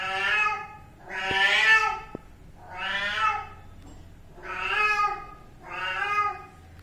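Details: Kitten meowing repeatedly: five clear, plaintive harmonic meows spaced about one and a half seconds apart, each rising then falling slightly, with a quiet background.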